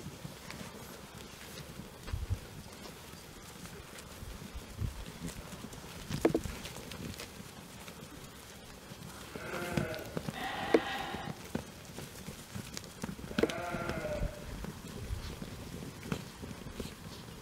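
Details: Young Jura sheep about twelve months old, on pasture with a breeding ram recently added to the flock; three wavering, quavering bleats around the middle and end, over steady outdoor rumble and scattered knocks and footsteps.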